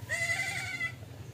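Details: A single drawn-out bleat from a goat that reportedly will not suckle: level, slightly quavering and nasal, lasting under a second, then fading into a low steady background hum.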